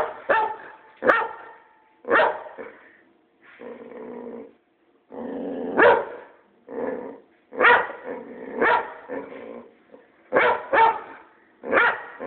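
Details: Boxer kept as a pet barks at its owner without obvious cause, loud short barks roughly once a second alternating with low, drawn-out growling grumbles that fill the gaps between them.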